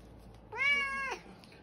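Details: A very vocal, fluffy white domestic cat gives one loud, drawn-out meow, steady and then falling at the end, demanding breakfast indoors; the room is otherwise quiet.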